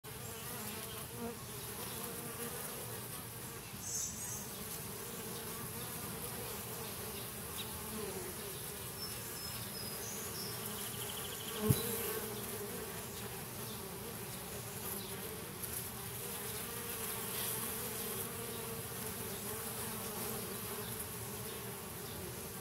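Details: Honey bees at a hive being robbed fill the air with a dense, steady droning buzz that barely varies in pitch.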